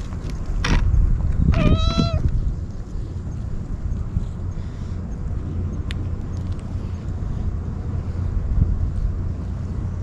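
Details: Stray kitten crying out desperately while eagerly eating Churu and Sheba treats: a short meow, then a longer harmonic rising-falling meow within the first two seconds, followed by low rumbling background noise.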